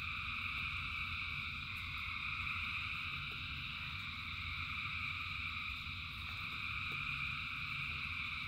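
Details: Rain and a massed frog chorus. Overlapping shrill trills merge into a steady wall of sound, with occasional drop taps and a constant low rumble underneath.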